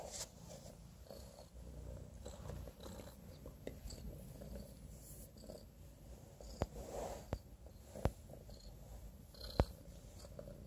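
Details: Domestic Shorthair kitten, a playful, affectionate young male who lost one eye to infection, awaiting adoption; a low, steady rumbling purr runs throughout, with a few faint clicks and soft handling noises.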